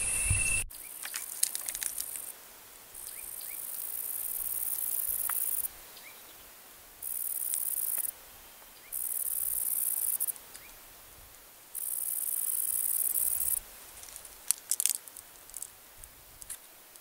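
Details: Kerik meadow katydid (Conocephalus melaenus), a black and green or red arboreal katydid that makes sound with its wings; very high, hissing buzzes in one-to-two-second bursts separated by short pauses, with scattered faint clicks.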